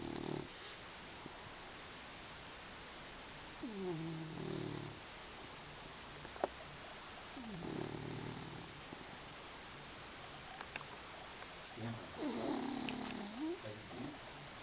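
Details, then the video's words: Sofia, a dog sleeping like a rock, snores in steady cycles every four seconds or so: each a raspy, buzzing breath with a wobbling low tone, then near-silence between breaths. "Snoring and sleeping like a rock - sofia"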